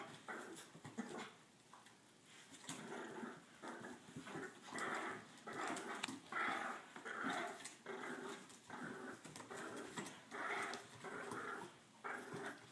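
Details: Two French Bulldogs playing tug of war growl in rough, rasping bursts, repeated roughly every second with brief whiny edges.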